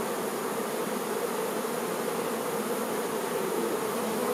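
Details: Honey bee workers tending their queen, a dense steady hum of many wings with a low drone band and hiss, unbroken and even in loudness throughout.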